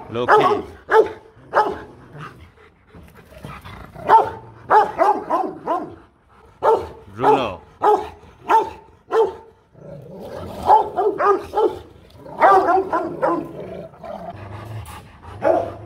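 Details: Rottweiler guard dogs at the Gervi kennel in Vietnam barking in repeated clusters across sixteen seconds, each bark harsh and resonant, while a man's voice gives commands to sit between bursts.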